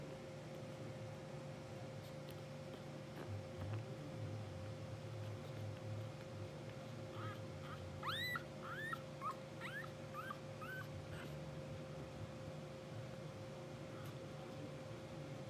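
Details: Blue sable English Bulldog puppies only two hours old, twitching and dreaming in their sleep. After a quiet stretch comes a quick run of about six short, high, upward-curving squeaks and whimpers, then quiet again, with a low constant hum beneath.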